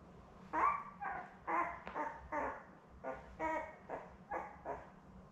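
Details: Newborn Labrador Retriever puppies, one of a litter of seven born May 24, 2021 to mother Belle, caught on a puppy cam on June 4: nasal, harmonic whines repeated roughly once a second over a low indoor hum.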